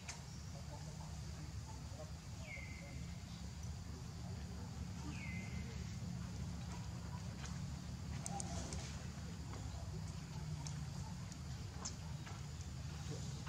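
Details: Baby monkey named Leo, hungry and crying to beg its mother for milk: two clear whistled cries, each sliding down and levelling off, a few seconds apart, over a steady low hum with faint clicks and rustling.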